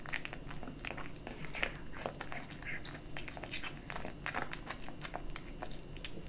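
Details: Close crunching of a kitten feeding on dry and wet cat food, uneven bursts of bites and chewing about twice a second, with a low background hum in a small room.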